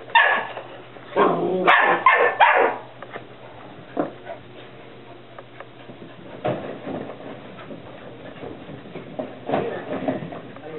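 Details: Playing whippet puppies burst into a quick cluster of harsh, high yapping barks in the first three seconds, followed by sporadic quieter yips spaced several seconds apart, over steady human chatter in a small room.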